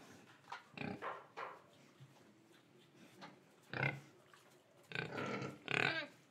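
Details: Pig in Indonesia, quieter scattered grunts and snorts over a low background hiss, with a few louder harsh oinks near the end.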